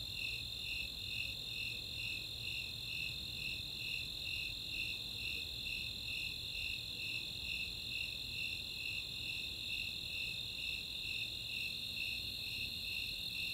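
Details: Nighttime summer chorus of Snowy and Four-spotted Tree Crickets in Boulder, Colorado's Chautauqua open space: a sustained shrill trill with regular bright chirps repeating about twice each second throughout.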